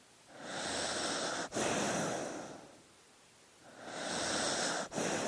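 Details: Dog asleep, drawing slow, airy, wheezy breaths. Each breath is broken by a short catch, with a quiet gap of about a second and a half between breaths.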